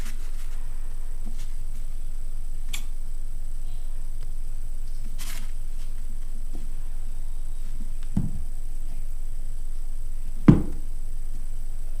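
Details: Low indoor rumble with a few soft clicks and thumps; no clear animal voice.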